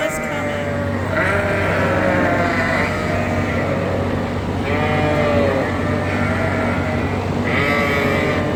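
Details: Hungry farm sheep in a barn on September 5, 2022, calling for grain at feeding time before settling to eat: loud, overlapping, wavering bleats in long harmonic-rich bursts from several animals at once, over a steady low barn hum and a woman's voice.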